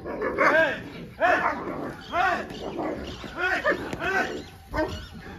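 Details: German Shepherd dog during ball-throwing fetch practice, giving a series of loud, short barks roughly every half second to second, with a person's voice calling over it outdoors.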